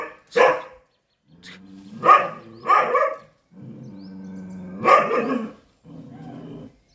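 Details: Chippiparai dog fighting off monkeys: a sharp bark, then low, wavering growls broken by loud barks at roughly two, three and five seconds, ending in a quieter rumbling growl.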